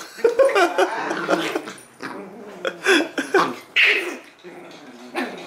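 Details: Two puppies playing with each other indoors: Butters, a Jack Russell Terrier and Poodle mix, and Stewie, a Maltese and Shih Tzu mix. Short yips, growly barks and snarls come in quick bursts with brief pauses between.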